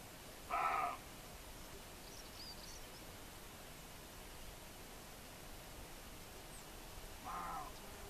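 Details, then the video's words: A young male roe deer in Lena, Asturias, gives two short, hoarse alarm barks several seconds apart at people after spotting them, then flees. "Un buen corzo en Lena, Asturias."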